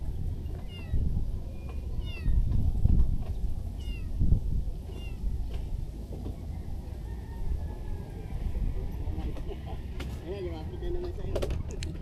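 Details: Hungry stray kitten being fed fish gives a run of thin, high, wavering meows, several in quick succession across the first half, with a couple more later, over Tagalog speech close by and low rumbling background noise.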